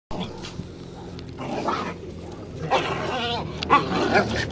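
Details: A Rottweiler playing in the snow with another dog gives short, whiny yelps and soft barks while a person talks nearby.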